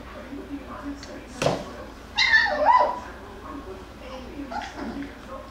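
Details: Beagle–Jack Russell cross (Jackabee) puppies from Miss Sansa's litter wrestling and playing inside; a loud thump, then a high, bending whine that rises and falls over about a second, with softer yips and rustling around it.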